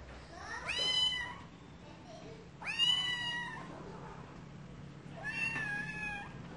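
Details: Cats meowing indoors: three loud, clear meows with rich harmonics, each rising then bending down, spaced about two seconds apart, over a low steady hum.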